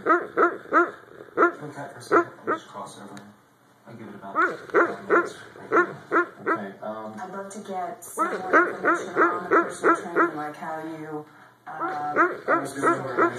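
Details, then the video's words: A dog asleep on a couch barking in her sleep indoors: muffled, soft woofs and yips in quick bursts of several, about three per second, with whimpering between and faint human voices. "Dog sleep barking"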